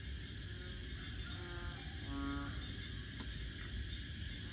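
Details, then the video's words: Frogs singing at Bình Quới on the Thanh Đa peninsula, a near-rural wetland area of Ho Chi Minh City; two short, low, harmonic-rich croaks in quick succession over a steady high insect hum and low background rumble. "Frogs Singing In Saigon"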